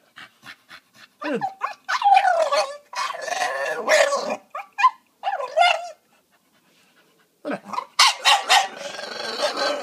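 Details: Excited female Staffordshire Bull Terrier greeting a visitor indoors with a strange, talking-like bark: irregular yowling and growly barks rising and falling, in bursts separated by short pauses, with breathy noise between.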